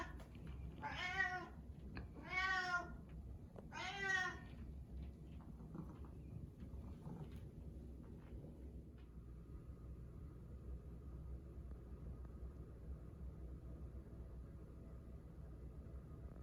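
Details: Domestic cat Karu following its owner through the house, calling with three loud harmonic meows in the first five seconds, then quiet room ambience with a faint steady hum.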